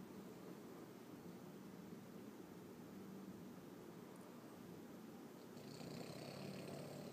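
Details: Loud snoring from a Boston Terrier, a continuous low, purring rattle of quick regular breaths, rising in volume near the end with a breathy whistle above it.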